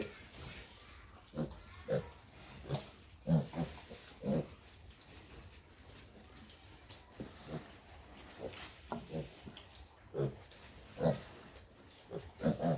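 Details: Two-week-old piglets on a pig farm, healthy and strong, giving short, low, soft grunts in irregular bursts, some in quick pairs, with a few quiet gaps, over a steady faint background hum.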